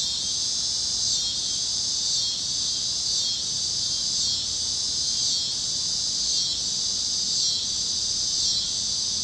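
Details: A warm Kansas evening at sunset brings a continuous shrill cicada chorus over the fields, other critters also singing. The high buzz throbs in regular surges roughly every second, with no other clear sounds.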